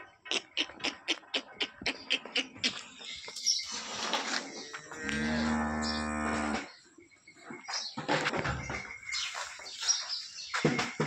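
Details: Holstein Friesian cow that calved last night, a gentle second-calving animal from Somthane village, Sinnar, Nashik district, gives one long harmonic moo of about a second and a half amid clattering, clicking noises and background voices.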